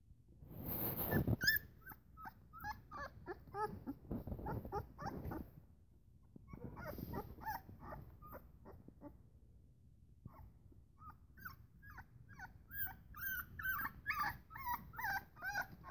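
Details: Great Pyrenees / Akbash puppies, described as very fat, give a busy stream of thin, high whimpers and squeaky yips, several pups overlapping in quick bursts, after a loud thump and rustling handling noise at the start.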